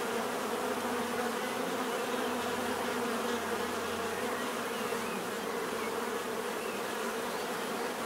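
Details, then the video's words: Steady bee buzzing, a thick continuous drone layered with a higher whining overtone, holding the same level across the whole stretch with no pauses. "bees therapy relaxing natural buzzing sound"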